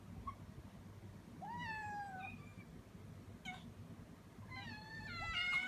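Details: Kittens, five in all, worked up while food is being prepared, calling with a few thin, wavering meows, some overlapping near the end, over a steady low hum.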